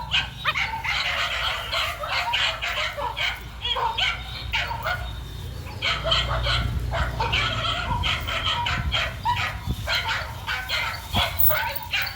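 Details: Continuous barking from a male dog on the run: dense, overlapping barks and yips across the whole stretch, with a low background rumble and brief gaps between bursts.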